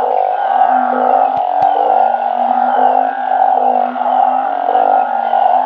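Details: Truncate-snouted burrowing frogs kept in a backyard garden, calling at night. Calls merge into an almost continuous humming drone with faint swells, and two brief clicks appear near the start.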